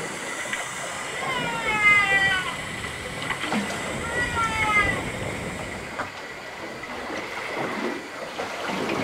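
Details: Humpback whale (Megaptera novaeangliae) song recorded by hydrophone off Puerto López, Ecuador, on the Pacific coast: drawn-out tonal moans with sweeping, wavering pitch, repeated in short phrases over water hiss; possibly a love song.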